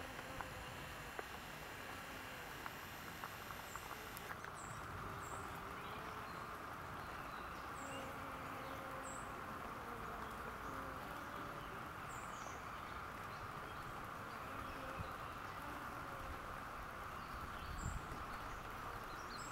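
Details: Busy honey bees at a farm in rainy weather make overlapping low buzzes that waver up and down over steady rain noise, with brief high bird chirps at intervals.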